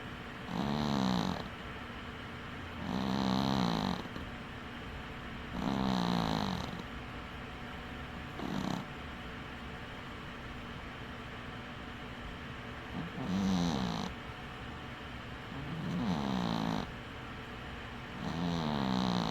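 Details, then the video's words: Dwarf cat Winky snoring in sleep with one eye open: seven rough, humming snore breaths, steady at first, then a longer pause of about four seconds before the rhythm resumes, all over a soft indoor background hiss. "Snoring cat"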